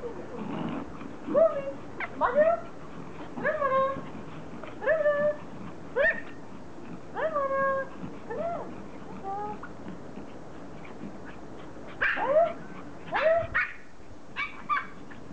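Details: Pomeranians, toy Poms, overjoyed at their owner's return from vacation: short high whining yelps in bursts roughly every second, bending up then down, with brief gaps and a few sharper yips near the end.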